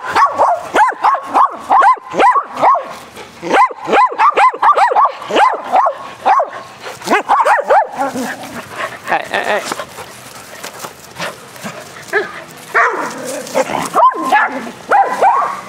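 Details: Four dogs, Athena, Brando, Rocko and Charlie, play aggressive fetch on a spring day; dense rapid barking for the first eight seconds, then scattered softer barks and yips amid rustling and movement noise.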